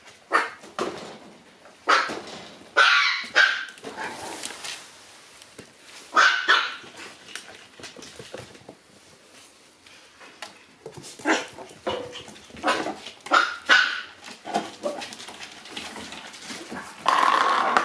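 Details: Black Shiba Inu puppy born on 25 August, on the morning it departs the kennel, giving sharp, high yaps in short bursts every one to two seconds, with quieter gaps between, indoors.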